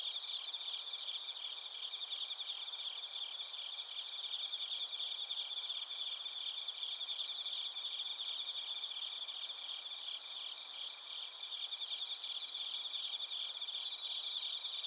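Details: Many crickets and bell crickets chirping together in Narita, Chiba, Japan, recorded on a TASCAM Portacapture X8; layered high trills and rapid pulsing notes form an unbroken ringing chorus throughout.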